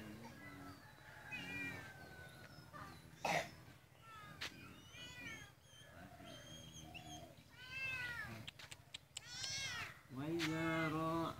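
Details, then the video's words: Cat giving a series of meows, some short and some stretched into wavering wails, with a few sharp knocks and clatters, faint talking and a steady low hum in the background. "cat animals sound videos"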